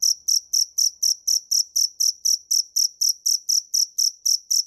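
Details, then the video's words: Cricket chirping in steady, evenly spaced pulses, about four per second, each a bright high trill with a faint overtone above, with no other sounds around it. "Tiếng dế mèn hay nhất 2017 - The crickets - Cricket"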